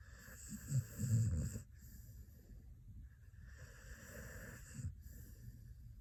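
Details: A Xoloitzcuintle pet dog snores in its sleep, giving one loud, gravelly snore early on, then softer wheezy breaths and a faint snort near the end.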